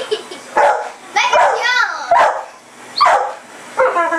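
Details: Pit bull in a yard at night, chasing a red light: short sharp barks and yips come in irregular bursts about every second, mixed with a person's voice.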